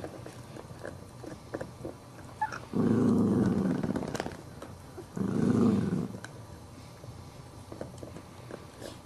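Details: An adult dog guards its bone while a little Chihuahua puppy tries to take it. Two low, steady, rasping growls about a second long are set apart by quieter scuffling.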